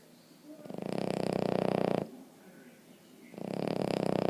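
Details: Loud rattling snoring from Emma Mae, a sleeping Boston Terrier; a buzzy snore of about a second and a half, a quiet breathing pause, then another snore begins.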